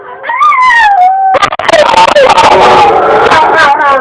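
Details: Dog vocalising in a way described as talking: a smooth, drawn-out tonal whine rising and then slowly falling, followed by a loud, continuous wavering moan with shifting pitch, sounding almost word-like.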